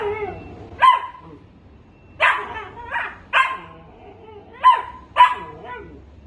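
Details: Dachshund barking excitedly: a run of six sharp, high yaps at irregular intervals of roughly half a second to a second and a half, with steady low background hum.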